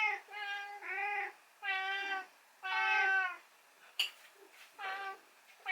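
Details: Rescued pet cat waiting for its morning meal after the owner oversleeps. Clear, drawn-out 'naan' meows come in quick succession, each one steady and tonal with a slight fall at the end. One sharp knock is heard midway.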